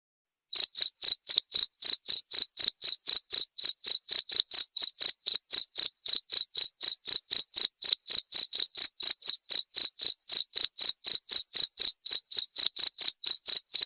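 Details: Cricket recorded as clear tutor audio for white-rumped shamas, giving a steady train of short, bright, high chirps about four per second, evenly spaced throughout, with a silent, clean background and no other sounds.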